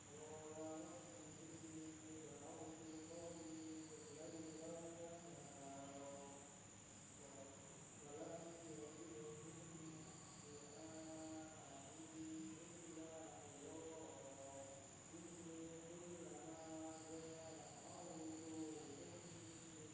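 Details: Night insects in a village in Indonesia keep up a continuous high-pitched ringing, while lower tonal bursts rise and fall at irregular intervals over a soft rumbling background.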